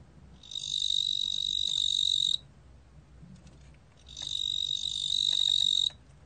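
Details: A ttungbo-gwitturami cricket, recorded in Korea for a 2020 national biological resources collection, sings two long, steady, high-pitched buzzing trills of nearly two seconds each, with a short quiet pause between them.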